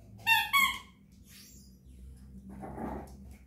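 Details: Japanese Chin 'singing songs' with two brief, high-pitched, clearly tonal whining yelps in quick succession, followed by a softer, rough, murmuring vocal sound.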